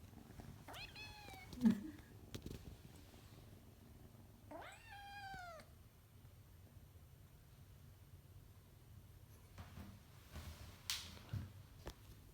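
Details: A kitten wanting to go outside meows twice, long rising-then-falling pleading cries a few seconds apart, amid indoor rustling, a door being opened and a person's soft voice.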